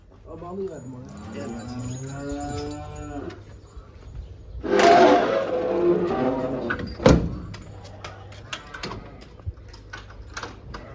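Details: Heifers intended for Kurban sacrifice, being transported and kept near Eskişehir: a drawn-out, harmonic moo over the first three seconds, then a burst of broadband rustling and clatter, with faint voices and scattered knocks afterward.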